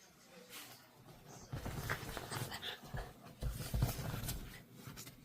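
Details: Kiwi, a pet dog indoors in a small room, gives short soft whimpers and breathy panting in uneven bursts, with a little human speech in the background.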